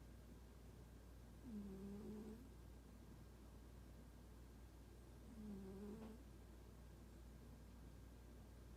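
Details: A cat that does not warm to people snores while asleep: two soft, low, drawn-out puffing breaths about four seconds apart, with a faint steady hum underneath.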